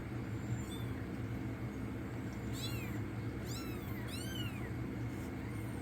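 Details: Tiny rescued kittens, roughly a week old and brought in from the cold, squeak out three or four sharp, very high-pitched arching mews in quick succession against a steady background hum.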